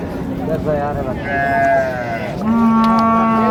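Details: Market cow among cows and calves at Raniganj haat in Dinajpur on 15 May 2025, giving a higher wavering call that slides into a sustained low moo at the end, over background voices.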